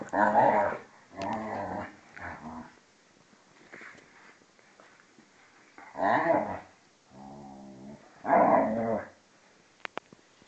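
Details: Vizsla and pointer, one two and a half years old and the other twelve, play fighting indoors; bursts of rough growling and grumbling come in several one-second bouts separated by quieter pauses, with faint whimpering between them.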